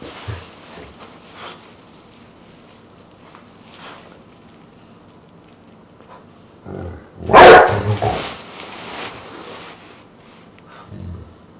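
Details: Truus, a pet dog that is three quarters Dogue de Bordeaux and one quarter Rottweiler, gives a single loud, deep bark after a quiet stretch with faint knocks and shuffling, then a short echoing tail and soft household noise.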